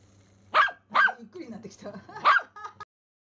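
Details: Pomeranian Simba, excited by a first-time remote-control rat, gives two quick barks, then soft whimpering sounds and a final bark, with a steady low hum behind.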